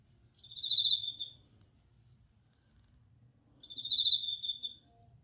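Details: Bell cricket song made of two high, bell-like ringing trills about three seconds apart, each close to a second long with shimmering overtones, separated by near silence and a faint low hum.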